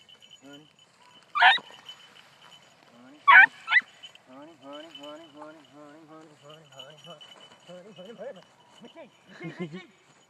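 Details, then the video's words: Beagle puppy, four months old, on the trail of a rabbit: three abrupt barks, the last two close together, followed by a person's drawn-out calling voice and a steady high background tone. "4 month old beagle puppy runs rabbit"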